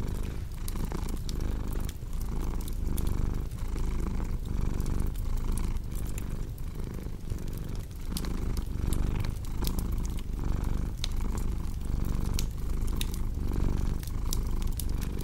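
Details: Steady domestic cat purr, a low rhythmic rumble cycling about once per second, set against the constant crackle and popping of a fireplace.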